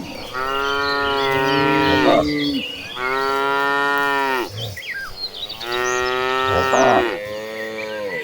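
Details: Dozens of tame cattle walk as a herd to a farm pasture; three long, loud, richly harmonic moos follow one another, each about two seconds with a slight rise then fall, separated by short pauses.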